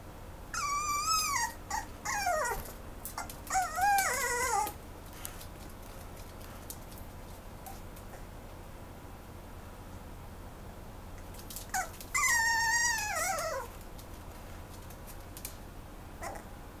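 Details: Mame Shiba dog looking for a new home gives high, thin whines that slide downward, in two short bursts separated by several seconds of quiet indoor background hum.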